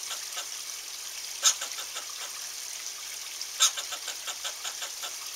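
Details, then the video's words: Angry squirrel calling: two sharp, loud squeaky bursts about two seconds apart, each followed by a run of soft rapid raspy clicks, over a steady hiss of background noise. "ANGRY SQUIRREL"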